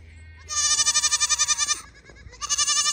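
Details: Registered young Pygmy goat playing at a Tennessee farm in Knoxville lets out a loud trembling bleat over a second long, then begins another strongly pulsed, vibrato-like cry after a short break.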